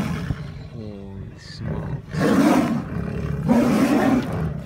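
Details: Two male Amur tigers fighting in a zoo, April 17, 2017; a brief low rumbling growl, then two long raspy snarling roars in the second half, against a steady low background hum.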